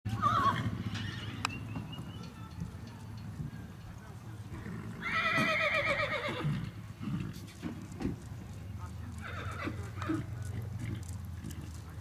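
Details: A black 12-year-old Tennessee Walking Horse mare, ridden by her owner, lets out one loud shaking whinny lasting over a second midway through. Hoof clops, scattered knocks and a man's voice are also heard.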